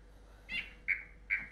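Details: Southern green stream frog, an Australian species of vegetated streams that breeds spring to summer, giving short, high-pitched 'reek' notes about every half second, the first part of a two-part call followed by a lower-pitched note.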